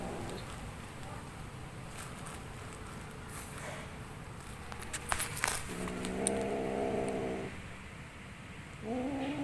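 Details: Kitten making strange sounds while playing: a steady, rough, harmonic meow-like cry held about two seconds, then a shorter one at the end, over constant background hiss and scattered clicks.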